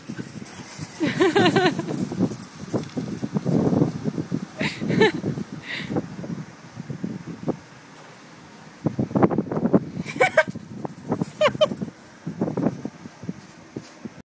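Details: Nine-week-old Pyrenean Mastiff puppies romping with their mother Ivana and new toys: short high-pitched yelps and whiny cries break out between bursts of scuffling and rustling play, with a quieter lull midway.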